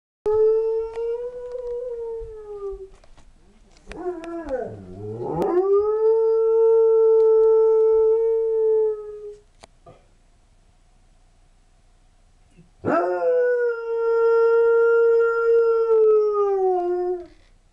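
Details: Shepherd/Husky mix dog, sable coloured, howling in response to a firetruck siren: long sustained steady-pitched howls, one dipping low then rising into a held tone, a pause, then another long howl sliding down at the end.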